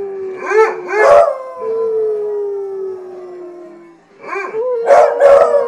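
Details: Pet hounds howl in a chorus, one long steady note sliding gently down for several seconds, bracketed by bursts of wavering, bark-like yowls at the start and end.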